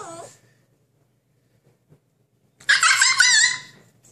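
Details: Siberian Husky; howl; demanding to be let out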